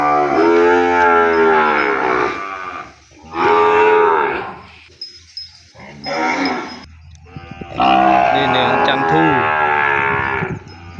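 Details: Calf crying for its mother after being separated from her and kept away in the pen. Several loud, drawn-out bawls with strong harmonics, each lasting one to two seconds, separated by short pauses.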